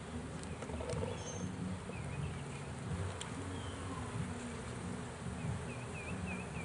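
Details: Swarm of bees caught in a swarm trap and being pulled out, a steady low buzzing hum that wavers in pitch throughout, with faint high chirps from birds in the background.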